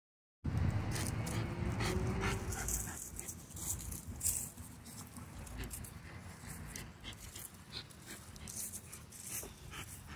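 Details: Egypt, a female micro American Bully on a daily walk, strains after a squirrel; quick rhythmic panting breaths repeat several times a second over a low rumble of outdoor handling noise.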